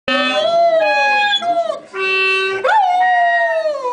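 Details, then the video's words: Ten-year-old Rhodesian Ridgeback howling along with a clarinet: long tonal wails that slide up and then fall, mixed with steady held clarinet notes that change pitch in steps. "Rhodisian Ridgeback sings"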